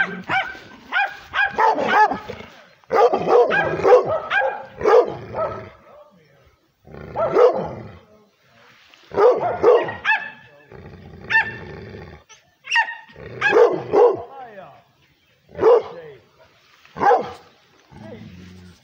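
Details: Aggressive female pit bull and Redbone Coonhound mix facing the camera, giving clusters of loud, yelping barks separated by short silences, with a low human voice murmuring between bursts.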